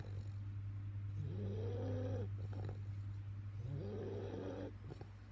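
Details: Sleeping Bulldog named Arry gives two drawn-out snores, each a wheezy breath with a whistled rising tone, separated by a pause of about two seconds, above a constant low droning hum.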